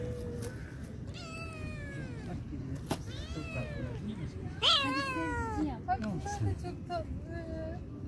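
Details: Kittens quarrel after being fed, with repeated piercing, wavering meowing screams, several rising then sliding down, one louder cry near the middle, while a man talks in Turkish in the background.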